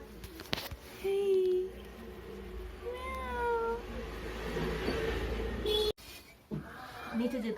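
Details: Kitten, described as a street cat, giving a few thin rising-falling meows at irregular intervals, with background music, room noise and a person's voice.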